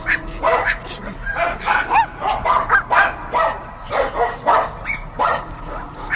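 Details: Dogs barking in rapid, overlapping bursts, sharp harmonic yaps with some rising yelps, roughly two or three barks per second, several animals apparently calling at once.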